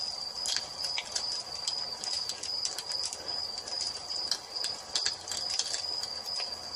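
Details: Crickets at dusk beside a fireplace, a steady high continuous trill holding one pitch throughout, overlaid by frequent sharp crackles and pops of burning wood.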